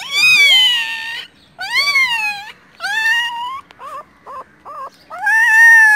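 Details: Four newborn puppies found by a roadside, their mother nearby, cry in loud, drawn-out, high whines that rise then fall, followed by a few short clipped yelps, then another long wail.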